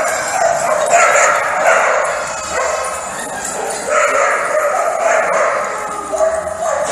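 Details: A stampede of playful Welsh Corgi puppies playing with a ball yap in a busy chorus of high, sharp barks and yips.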